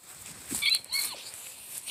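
A squirrel gives two quick, high-pitched squeaky chirps in close succession.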